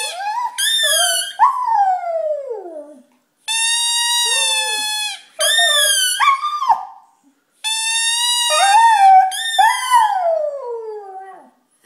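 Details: Male Cardigan Welsh Corgi howling along to his squeaking toy indoors: long, steady, rich-toned squeaks alternate with the dog's sliding howls that drop steeply in pitch at the end, in four loud phrases separated by short silences.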